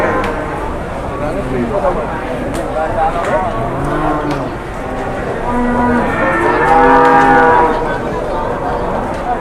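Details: Large cattle paraded around for sale: low, drawn-out murmuring calls early on build into a loud, full moo late in the clip, rich in stacked harmonics, over a busy background of other animals and outdoor noise.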